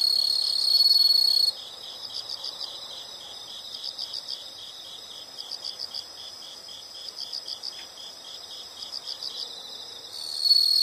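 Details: Nature sound of insects: a loud high steady trill fades after a second and a half to quieter rhythmic chirps grouped in bursts of three to five, then the strong trill returns near the end.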